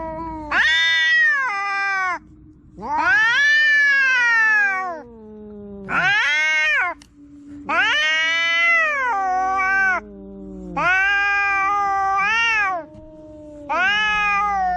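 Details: Domestic cats fighting indoors, trading harsh, rich yowls in six loud bursts of one to two seconds, each swelling then falling in pitch, while a deeper droning growl-like wail runs low and continuous beneath.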